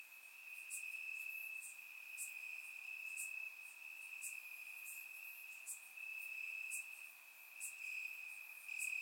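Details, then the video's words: Crickets chirping in grass on a warm summer night in Bulgaria, recorded with a surround microphone: a steady high trill runs throughout, with brief brighter bursts pulsing roughly every second above it. "Cricket Sounds - Crickets Chirping at Night"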